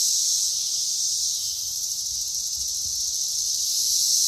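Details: Mating chorus of 17-year periodical cicadas (Brood XIII, mainly Magicicada cassini) on Green Ash in Wheaton, Illinois, late May 2024: a continuous shrill whirring drone, unbroken and even throughout.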